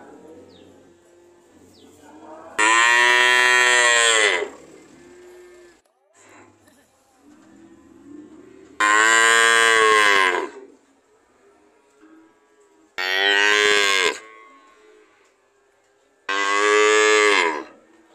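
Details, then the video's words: Cows calling with four loud, strained moos of one to two seconds each, spaced several seconds apart over a low steady background hum. "Sound of cow"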